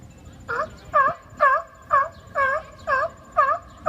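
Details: Seals arguing on rocks: short moaning, harmonic calls, each bending down then up, repeated steadily about twice a second in a regular run.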